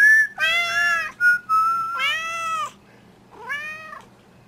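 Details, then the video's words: Ellie, a pet domestic cat, 'singing' along at night while a person whistles: three drawn-out, harmonic-rich meows that bend up then down, the first two long and close together, with a short steady human whistle between them. "'Singing' Cat"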